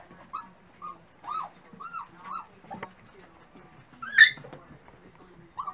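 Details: Dachshund puppies at breakfast time: a run of short, high, arched whimpering whines, about one every half second, then one louder sharp yip, with light clatter in between.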